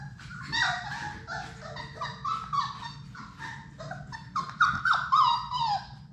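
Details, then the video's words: Six Labrador Retriever puppies from Sadie's litter playing together in their puppy play room: a steady stream of high, wavering whines and sharp yelps, overlapping and repeated several times a second over a low background hum. "Labrador puppies at play!"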